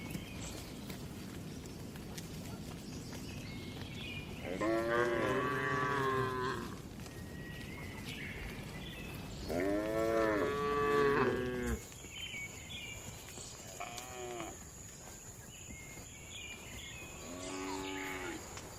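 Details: Tame cattle moving calmly in a spacious farm barn: several rich, drawn-out moos with wavering pitch, loud ones around the middle, quieter ones later, plus a steady high electrical whine and general barn clatter.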